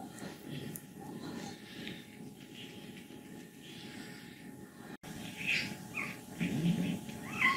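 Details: Contented 14-year-old female cat from Leutkirch im Allgäu, declared healthy by a vet, making soft low grumbling and rattling sounds, then a few brief higher squeaks in the final seconds.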